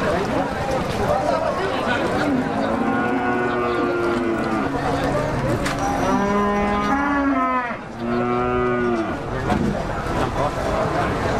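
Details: Pegon cattle at the Jatirogo cattle market on 18 May 2018: several long, drawn-out harmonic moos, some wavering and falling, over loud crowd chatter and market noise.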